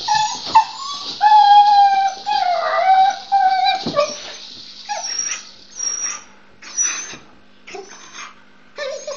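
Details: Pet dog making excited noises while playing with her rattle ball: drawn-out, wavering, tonal whines and howl-like moans, then a string of short, high squeaky yips.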